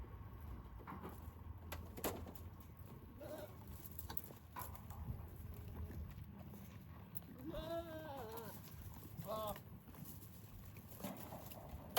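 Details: Goats, including pregnant goats and kids, eating dates thrown to them on a farm, some fenced in and some grazing outside; two wavering harmonic bleats around seconds 7 to 10, over a low rumble and scattered rustling and clatter.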